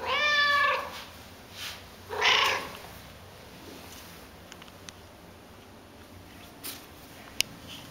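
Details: Young female Domestic Shorthair cat, white with charcoal gray and butterscotch calico spots, at an adoption shelter, giving her musical trilling meow used as a friendly greeting; two bright wavering trills near the start, then quiet room with faint small clicks.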